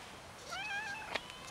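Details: Street cat gathering with others for food, one clear drawn-out meow rising then falling with rich harmonics, followed by a sharp click.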